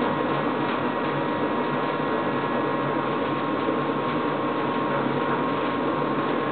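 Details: A constant indoor appliance drone with a faint steady tone runs throughout; no animal calls stand out.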